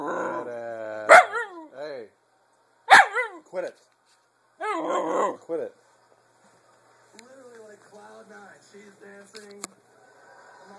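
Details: A dog giving loud harmonic barks with whining, yelping pitch glides, three bursts in the first six seconds, then softer whines and a human voice speaking.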